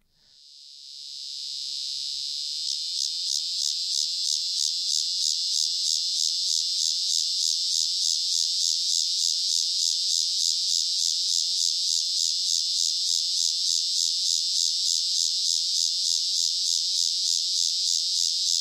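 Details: A male Walker's cicada, a large annual cicada common in Illinois and the Midwest, gives a loud, high buzzing song throbbing with steady, slow pulses about three times a second, slow pulsations alternating with periods of buzzing.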